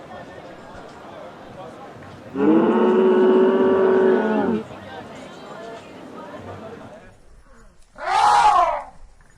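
An elephant gives a long, steady, harmonic bellow, then a short, harsh, brassy trumpet blast.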